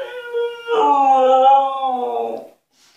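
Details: Husky Altezza, kept in an enclosure when punished, protesting to be freed: a sustained, wavering, harmonic howl that rises in loudness mid-way, holds, then fades out, with a softer lead-in tone before it.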